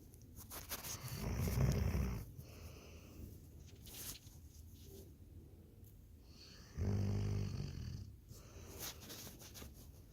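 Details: Snoring Labrador Retriever, with two low, rasping snore bursts around five and a half seconds apart, separated by soft breaths and faint rustling in a quiet indoor space.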